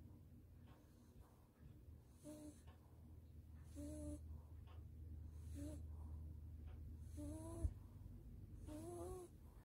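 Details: Sleeping Maltese dog, held in its owner's arms after a warm bath, half-bath and blow-dry, snores steadily: breathy inhalations about every one and a half seconds, several ending in a wheezy, whistling nasal tone, low hum behind.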